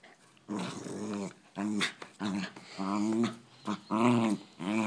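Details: Poodles in a fight, giving rough, rising and falling growls and snarls in quick succession, overlapping one another with brief breaks, in an indoor room.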